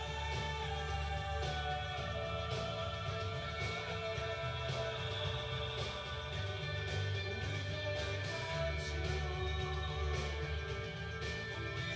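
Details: Dense rock music with guitar and faint singing fills the recording, with no animal sounds.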